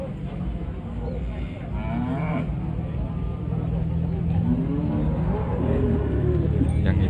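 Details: Simmental-cross cattle at the Pasar Legi market in Jatinom, lowing with low, drawn-out moos under a steady noisy crowd hum of market bustle and voices.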